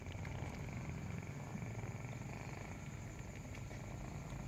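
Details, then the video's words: Nursing kitten purring while breastfeeding: a steady low rumbling throb, continuous throughout, with faint higher hiss and a thin steady tone above. "Breastfeeding kitten makes a purring sound"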